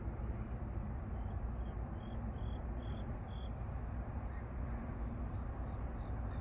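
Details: Grass insects singing in the evening of 26 September 2022 at 18:46 under a pink night sky: a steady high shrill trill with short pulsed chirps near its middle, set over a heavy low rumble.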